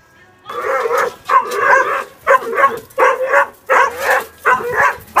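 A corgi gives a run of short, yowling woofs, each lasting under a second, with music behind.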